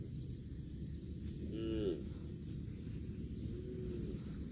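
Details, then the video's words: A cow eating grass gives one short, rising moo with clear harmonics near the middle, then a fainter, lower moo toward the end, over a steady low rumble with insects ticking in the background. "COW SOUND EATING GRASS COMPILATION - COW MOOING"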